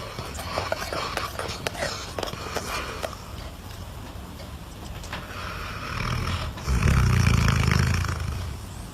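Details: Dog snoring, a rough low rasping rhythm of quick breaths that swells into a louder, deeper drawn-out snore near the end, with faint background noise throughout.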